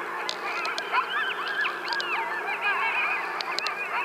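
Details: Several coyotes howl and yip together in a wavering, overlapping chorus of high, sliding cries, heard across a field.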